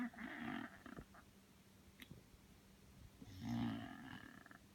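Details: Belle, a worn-out Bulldog, sleeps and snores: two rasping, harmonic snores about three seconds apart, one at the start and one near the end, with a quiet indoor hum and a faint click between them.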